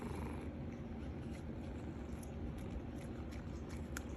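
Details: A pet cat purrs continuously while enjoying a catnip stick: a dense, even, low-pitched rumble with only occasional faint clicks over the top.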